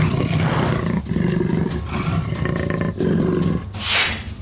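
A black jaguar gives deep, rumbling roars in long throaty bouts separated by brief pauses.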